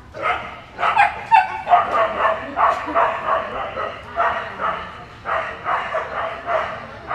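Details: American Staffordshire Terrier at a Staffordshire Terrier Club of America AKC agility trial, Dog Gone Fun Agility in Spring, Texas, June 2015; rapid, excited barks come in a steady run about twice a second, with people talking underneath.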